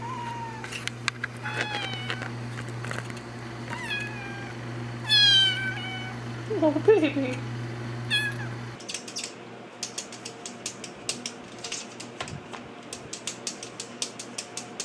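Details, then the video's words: Kittens playing indoors: several short, high mews scattered through the first half, one sharper rising cry near the middle, then a stretch of rapid clicking and tapping sounds with fainter mews, over a low mains hum. "Cute KITTENS meowing & playing"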